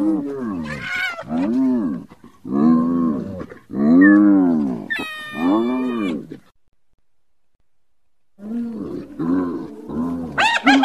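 A hyena gives a run of rising-and-falling, strongly voiced calls, grouped in bursts.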